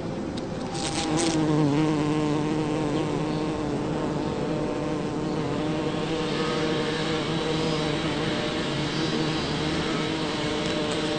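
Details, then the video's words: Bumblebee working a six-year-old Champlain rose in a back yard in Toronto, Ontario, on June 5, 2010; steady low buzzing hum with layered harmonics, swelling and fading slightly as the bee moves between flowers. "Loud Buzzing Bumblebee Works a Champlain Rose"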